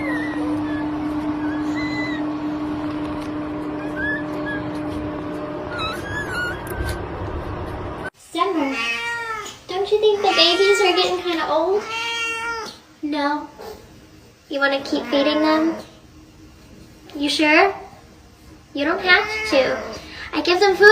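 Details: Domestic cat with kittens: after a stretch of music, repeated loud drawn-out meows with bending pitch come in bursts, separated by short quiet gaps, some overlapping voices.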